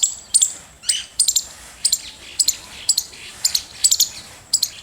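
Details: Squirrel chirping: very high, sharp, clicky chirps, often in quick doubles or triples, repeated roughly every half second to second throughout.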